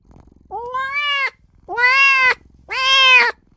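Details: A small newborn kitten calling for its mother and owner, giving three drawn-out, even-pitched meows about a second apart, each ending in a slight upward lift, with faint purr-like rumbling between them.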